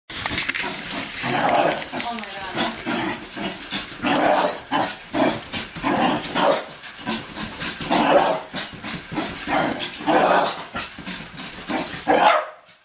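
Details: Poppy, a ten-month-old female puppy, half wheaten terrier and half wire fox terrier, riled up during crazy zoomies on a bed; rapid scuffling, panting and short growly yips tumble together, with people talking and laughing throughout.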